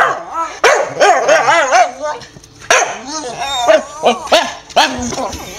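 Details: Hyper Staffordshire Bull Terrier at home in the evening, owner back from work and a walk soon due: a rapid string of short, wobbling yips and barks with warbling rises and falls, some dozen bursts in quick succession.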